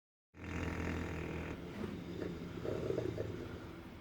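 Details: Sleeping English Bulldog snoring, a rough, rumbling drone with low grunting texture, steady and continuous after a brief silent start.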